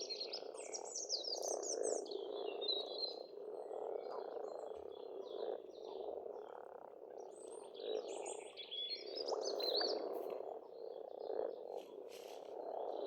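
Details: Many frogs croaking in spring at a pond in Estonia, a thick rolling chorus with short pulsed croaks rising out of it every few seconds, while birds chirp and trill high above.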